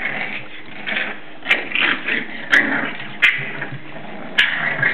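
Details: Seven-week-old English Bulldog puppies at play inside; rough growling and whiny vocal bursts run almost continuously, broken by a few sharp knocks, over a faint indoor hum.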